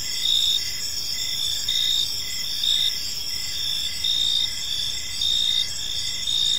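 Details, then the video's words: Evening crickets in a park produce a shrill, steady chorus; short louder chirp bursts arrive roughly every second above a soft continuous hiss. "Park Serenade: Cricket Sounds in a Peaceful Park | Evening Ambience"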